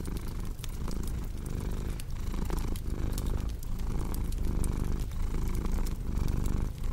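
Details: Steady low purr of a domestic cat, rumbling in regular inhale-exhale waves under a bed of crisp fireplace crackling and occasional snaps.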